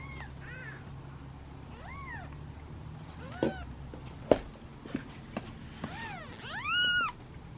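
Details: Seven hungry kittens await their meal in a basket; Choco's meows grow louder as he waits. Arched meows repeat, ending in a long loud drawn-out meow, with clicks and taps from handling in between.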